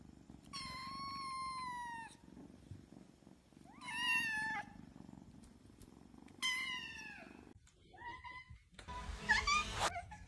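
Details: A mother cat with her kittens gives long, drawn-out meows, each falling slightly in pitch, with a short chirp between them.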